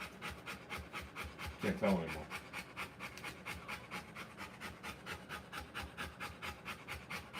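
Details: Rottweiler mother panting while giving birth to puppies: rapid, even, breathy huffs, about three per second and steady throughout, with a brief murmur of a human voice near the two-second mark.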